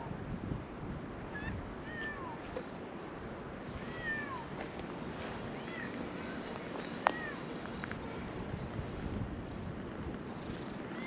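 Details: Stray cats resting up on a high perch outdoors, filmed with a GoPro; several short, thin meows rise and fall in arcs, scattered across the recording over a steady background hiss and faint rustling.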